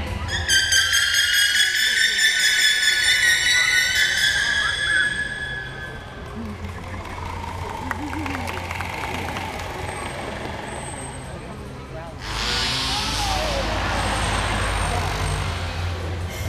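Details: Two captive killer whales at SeaWorld, 15 October 2016, give bright, harmonic squealing calls to communicate, followed by a wash of broadband noise and splashing.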